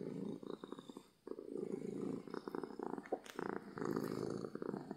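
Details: Domestic cat purring from happiness, a close low rumbling buzz interrupted by a short pause, then resuming steadily with faint rustling clicks.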